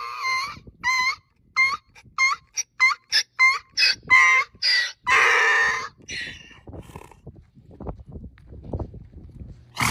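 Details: Donkey braying: a run of short, harmonic honking notes that quicken and alternate in pitch, then several longer, harsher drawn-out notes, fading into quiet rustling and handling noise.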